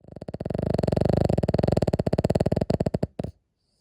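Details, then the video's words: Sleeping Cavalier King Charles Spaniel snoring loudly indoors: a rough, low rattling snore built from rapid vibrating pulses, steady for about three seconds, then sputtering and breaking off into silence. "キャバリア いびき"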